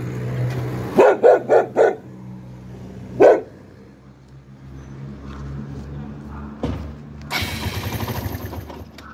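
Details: A red Chow Chow (Cantonese bear dog), a rescue dog, barks angrily: a quick run of four deep barks, then one more bark after a pause.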